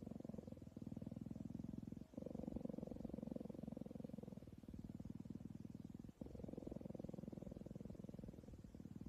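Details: Cheetah being cuddled, purring in a steady low rumble of fast, even pulses throughout, with short breaks near the second and sixth seconds where the rhythm resets; no other sounds stand out.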